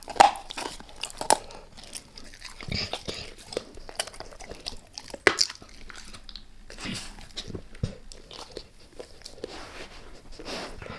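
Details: Dog named Max working on a beef rib, lightly at first and then all in: scattered crisp cracks and gnawing bites, with loud snaps near the start and around five seconds, against a hushed indoor background.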